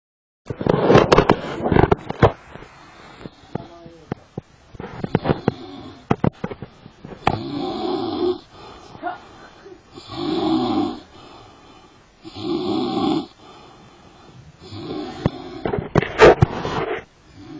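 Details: Sleeping lion at Karatsu, snoring in deep rasping breaths that come in rough, rumbling bursts about every two to three seconds, with clicks and knocks heard early on.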